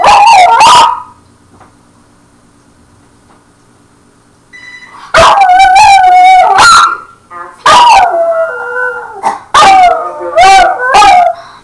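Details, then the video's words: Pet dog howling at an answering machine: a short wavering howl, a quiet gap with a faint steady tone, then a run of loud quavering howls and yips with rich harmonics, rising and falling in pitch. "DOG HOWLS AT ANSWERING MACHINE"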